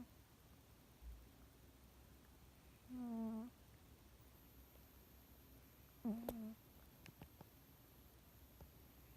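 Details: Sleeping pet cat snoring softly indoors; two faint low droning snores about three seconds apart against quiet background hiss, followed by a few small clicks.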